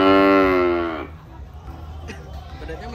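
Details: Cattle being fed by a child: one loud, rich harmonic moo lasting about a second, slightly falling in pitch, then fading into quieter background chatter and a low hum.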